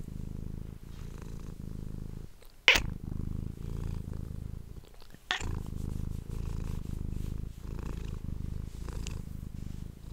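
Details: A domestic cat purring, captured with an ASMR microphone: soft, low, continuous rumble pulsing with each breath, interrupted by two sharp loud clicks or knocks.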